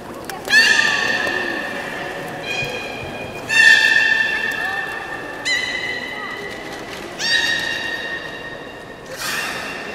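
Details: Belugas during a public training session at Port of Nagoya Public Aquarium, 18 July 2016, 13:30 show. Five separate bright, nasal, whinny-like harmonic calls, each steady or slightly rising, spaced about two seconds apart over a hum of background noise.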